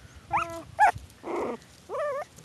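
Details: Four-week-old Miniature Pinscher and Jack Russell Terrier mix puppies on their first day outdoors at their new home, in January; short, high, harmonic yips, then a brief rough, noisy growl, then a wavering, whiny yelp.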